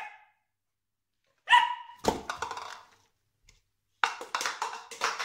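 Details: Dalmatian puppy Spot, frightened by a plastic container indoors, barks in loud, abrupt bursts, with a burst near the start, a quick cluster shortly after, then a rapid run of repeated barks after a silent gap.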